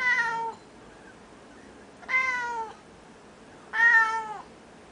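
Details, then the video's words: Japanese cat, noisiest cat ever, uttering three loud drawn meows, "neowwn", the last the strongest, each tone gliding gently down; a quiet room otherwise. "Japanese Cats say "Neowwn""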